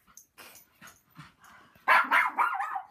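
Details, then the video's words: Puppy howling and barking at a loud helicopter passing overhead; faint short yelps early on, then a loud strained howling burst near the end, with a person talking nearby. "Murdoch The Puppy Howls And Barks At Helicopter"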